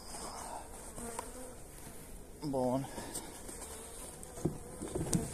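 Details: Honey bees humming during feeding with energy cakes on 29 January in mild, pleasant weather; a faint continuous drone, one louder buzzy pass near the middle and a few light taps toward the end.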